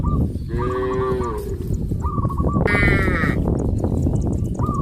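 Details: Herd of cows on a traditional village farm moving towards green grass fields: two bellowing moos, the first lower and longer, the second higher and strained, amid constant background rumble and brief high-pitched chirps from other animals.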